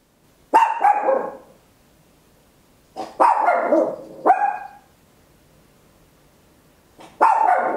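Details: Tiny Papillon dog barking very loud indoors, stereo capture on an Olympus LS-11: a cluster of rapid, harsh barks, some doubled, in uneven bursts separated by short pauses.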